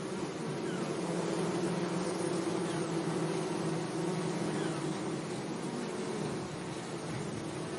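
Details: Gentle bee buzzing in a sunny flower meadow. A steady layered hum rises and fades a little as insects move about, backed by a constant breezy hiss.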